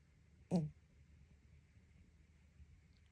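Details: Noah, a pet cat, snoring while asleep indoors: one short, rough snorting burst that drops slightly in pitch, followed by quiet breathing-level stillness over a steady faint room hum.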